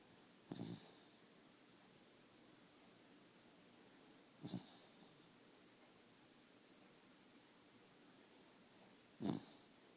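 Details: Indoors, a dog snores with regular rhythm: three rough, rattling snorts about four seconds apart. Each is a short burst of noisy breath, separated by near silence.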